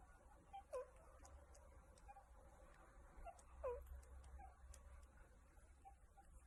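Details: A meerkat gives soft, short squeaky calls while being scratched. The calls slide downward, a few seconds apart, over a low rumble.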